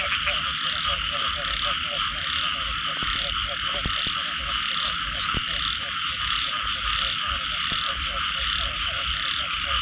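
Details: Frogs after rain: steady stream of short, rapid, knocking calls from many animals, punctuated by occasional sharp clicks, over a continuous high shrill chorus.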